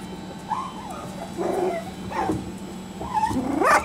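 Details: Three-and-a-half-week-old Parson Jack Russell Terrier puppies from one litter giving short wavering whines and squeaks, ending in a sharp rising yelp, over a faint constant hum.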